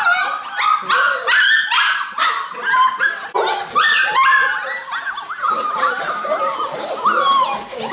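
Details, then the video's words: Group of Golden Retriever puppies whimpering and yipping together, a continuous tangle of high-pitched whines, squeaks and short barks overlapping from many young dogs, loud and unbroken throughout. "schwarm von golden retriever welpen"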